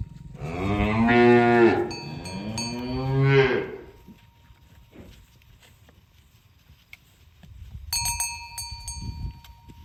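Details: Morning cow herd walking on village roads toward the pen; two loud, drawn-out moos in quick succession, the second rising then falling, followed by quiet shuffling and a few ringing cowbell notes.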